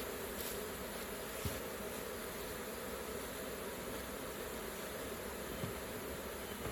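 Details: A steady mass buzzing of honey bees straight from the hive during honey harvesting, a constant low whir with a couple of soft knocks.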